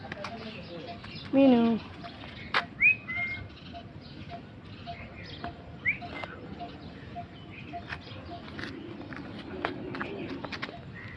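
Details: A cat, one of three found on a roadside early in the morning, gives one falling, harmonic meow of about half a second. A few short high chirps follow, over soft talking and steady street noise.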